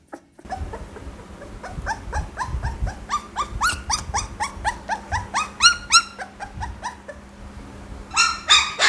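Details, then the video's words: Young Pit Bull puppy giving a run of thin, squealing whimpers that bend down in pitch, coming quickly one after another over a steady low hum in the background. "เสียงหมาน้อย ลูกพิทบูล"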